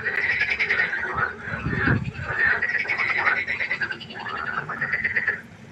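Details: At night beside a pond, several frogs give buzzy, pulsed croaks in quick succession. The overlapping calls form a continuous chorus, and a soft low rumble is heard near the middle.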